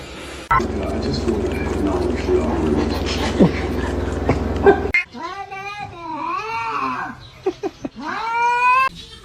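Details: Pet cat meowing: a run of rising-and-falling whiny meows over the last few seconds, some short and some drawn out, after a stretch of steady background noise and people talking.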